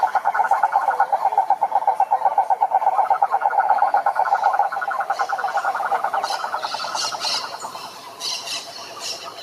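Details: Frogs chorusing in a pond, a loud fast series of pulsed croaks repeated roughly three times per second that fades after a few seconds, while higher scratchy calls from other frogs rise toward the end.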